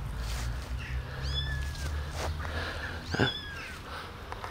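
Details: Abandoned baby kittens, rescued from the street, walk about and drink milk from a syringe; two thin, high mews about two seconds apart, with rumbling low background noise and soft handling sounds.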